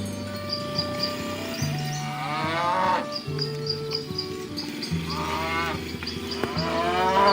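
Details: Herd of cattle driven through a rice field ditch toward the village livestock pen, giving several drawn-out moos spaced a few seconds apart over steady background music.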